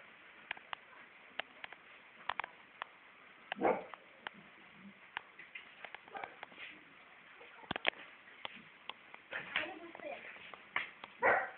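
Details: Four-month-old female Siberian Husky puppy giving brief whining yelps, one burst early and a cluster near the end, between sharp scattered clicks and taps, with a person's voice speaking softly nearby.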